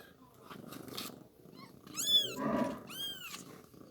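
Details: Newborn kitten during milk feeding gives two high, arching mews about a second apart, each rising then falling, over soft rustling and handling noise.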